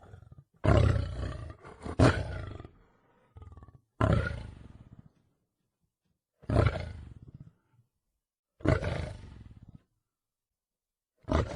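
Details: Lion (Panthera leo), roar.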